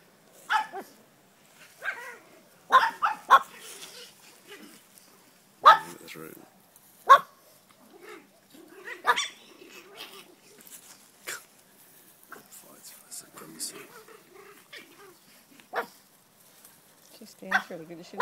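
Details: Griffon Bruxellois dogs in a backyard: three 8-week-old puppies and a 5-month-old play with older dogs. Sharp, high yips and short barks come in scattered bursts, mixed with people talking nearby.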